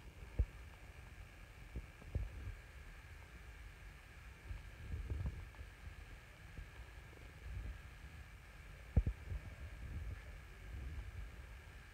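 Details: Low rumbling background with scattered soft thumps and a faint steady hum; no clear animal call.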